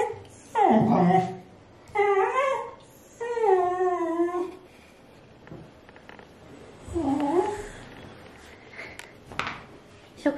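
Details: Indoor female Pembroke Welsh Corgi, still not used to the new home's dishwasher and bath alert tones, raging with loud wavering yowls and whines in several long bursts, with a voice in the room.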